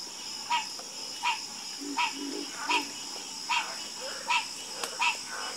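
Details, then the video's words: Night frog chorus: one caller repeats a short, ringing croak with bright overtones about every 0.75 seconds, with lower grunting croaks in between and a constant high-pitched insect drone behind. "Calming Sound Of Harmonious Frog Croaking"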